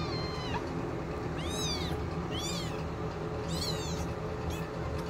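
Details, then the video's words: Ebby's kittens, a little over two weeks old, fight over feeding while nursing, giving short high arched squeaks roughly once a second, four or five in a row, against a constant low droning hum. "kittens are 2 weeks old cat fighting while nursing!"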